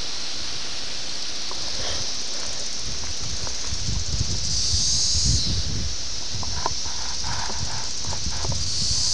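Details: Seventeen-year cicadas, Brood X, at Ayersville, Ohio, in June 1987, captured with a VHS camera: a thin high-pitched whining drone with louder buzzing surges near the middle and end, muffled by heavy low-frequency handling and wind noise.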